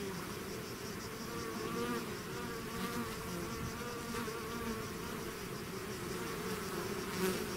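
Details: Bees swarming out of their hive: a continuous thick buzz from many insects, layered humming pitches drifting up and down, with a brief louder whirr near the end as one bee flies close.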